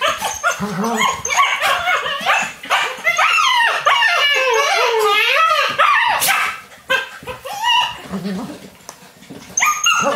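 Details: Alaskan Malamute puppies playing indoors on a rainy day with a young male adult whine and yip in wavering, high rising and falling tones, with some barks.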